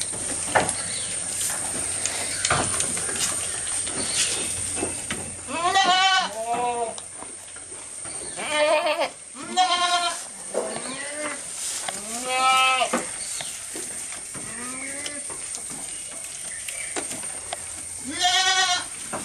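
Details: Goat recorded close up while eating, bleating repeatedly in tremulous, nasal bursts every two to three seconds, about seven calls in all, over soft crunching and a persistent high-pitched chirping backdrop.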